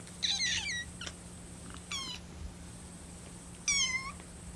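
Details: Rescued kitten on its 25th day in care, crying while waiting for its milk to cool. Three high, thin meows with wavering vibrato sound almost like a small bird's call, each sliding downward, with short pauses between them.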